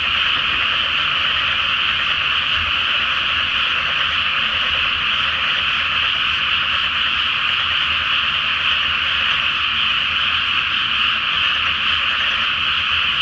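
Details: Frogs in full chorus at night over a flooded rice field before planting, beneath a full moon in Japan; a thick wall of rapid overlapping croaks, constant in loudness, with a faint low rumble underneath.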